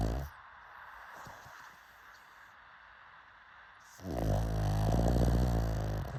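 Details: Sleeping pug: a long quiet pause of soft breathing, then one loud, low, rumbling snore starting near the end and holding steady for about two seconds.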